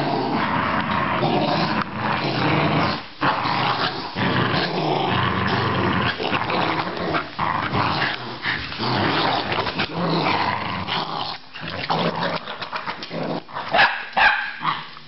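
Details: Australian Terrier growling steadily in long rough bouts, broken by short gaps near three, four and eleven seconds, with sharper clicks and scuffles toward the end.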